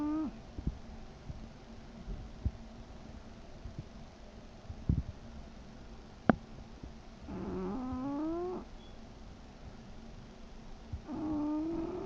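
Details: Sleeping English bulldog Chester gives rhythmic tonal snores, a rising nasal hum on each breath, spaced several seconds apart over soft rustling and an occasional sharp tap.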